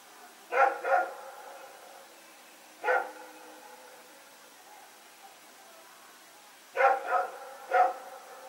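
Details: Night recording from September 21, 2018 of Rex and a companion dog running around; paired barks, a lone bark, then a burst of three barks separated by quiet gaps.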